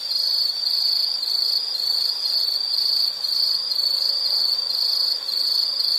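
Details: Insect calling outdoors: a loud, continuous high-pitched trill, a bright ringing tone that barely wavers, broken by a few short dips around three and five seconds; nothing else stands out.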